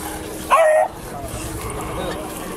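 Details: A dog, either a St Bernard or a miniature pinscher, gives one short sharp bark over steady background chatter and room noise.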